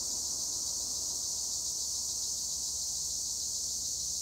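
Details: Tree crickets (Acheta assimilis) in olive trees at Güre, Edremit, Turkey, keep up a steady, high, shimmering trill with no breaks.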